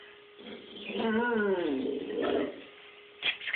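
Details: Eleven-year-old Great Dane talking to its owner indoors: a soft, drawn-out moaning vocalization that rises and falls in pitch over about two seconds, then a brief quieter grumble and a click.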